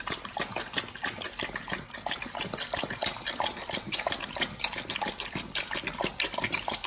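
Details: Several Pit Bulls gnawing raw beef shank, cow liver, tripe and duck wings in a BARF meal; dense, wet crunching and snapping bites in quick succession, recorded close up.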